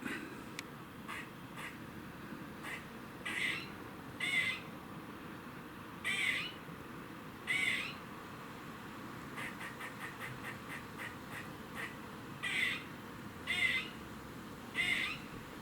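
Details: Squirrel giving a warning noise in Cambridge, UK, on 27 September 2019 at 3:16 pm: harsh, wheezy rasping calls at irregular intervals, with faint rapid chuck-like clicks in between, over steady background hiss.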